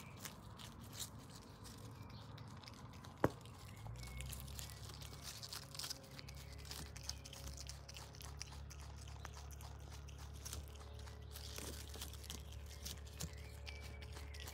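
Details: Paula, a pet Brush Tailed Possum adopted as a baby in Australia, eating lettuce, silverbeet and carrot indoors; soft irregular crunching and biting with a low steady hum and one sharp click.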